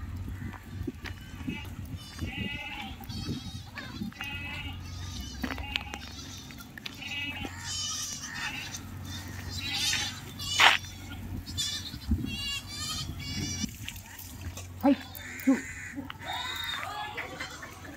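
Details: Goats and kids on a goat farm, many overlapping bleats, some high and quavering, others lower, scattered through the recording over steady low rumble and background noise.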